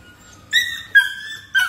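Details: Young American Labrador in toy play-drive training for future working dogs, recorded 16 February 2024; three thin high whines in quick succession, each well under half a second, the middle one dropping slightly in pitch.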